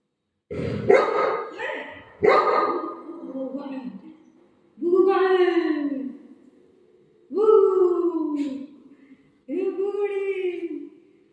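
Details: Buzo, a Golden Retriever, playing at home and afraid of balloons, gives five drawn-out, harmonic, whiny yelps, each falling in pitch and lasting about a second, spaced by short pauses, with people's voices mixed in.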